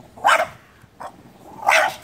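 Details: French Bulldog barking after a squirrel: two loud, sharp barks about a second and a half apart with a fainter bark between them, short and bright, with no other clear sounds.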